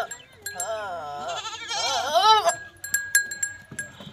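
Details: Goat bleating during a first-time natural mating with a Teddy goat in Punjab province, Pakistan: one long, quavering, wavering bleat of about two seconds, followed by short knocks and clicks and a steady faint background tone.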